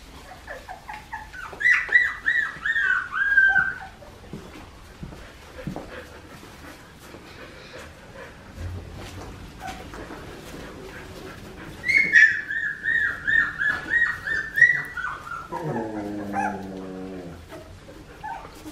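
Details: Australian Shepherd puppies aged 2.5 weeks, Poppy and Dublin's litter at Fifteen Acre Farms, Oklahoma, produce bursts of high, quavering whines in rapid pulsing runs, two long squealing bouts separated by quiet, the last ending in a lower buzzy moan.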